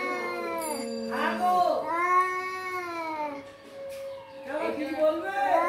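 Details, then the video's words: Domestic cat meowing: a run of drawn-out, tonal, arching meows, some rising then falling, repeated about every second or two with short gaps between calls. "Voice of cat"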